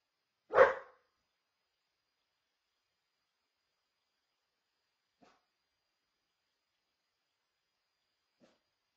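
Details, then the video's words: Single short bark from a dog picked up by a home security camera at night, followed by long silence with two faint, brief clicks later on. "dog bark detection"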